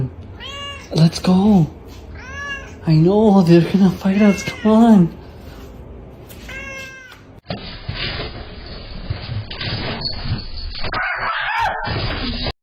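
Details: Pet cat giving several rising-then-falling meows in quick succession during the first five seconds, followed by an abrupt switch to broad hissing noise and faint music for the remainder.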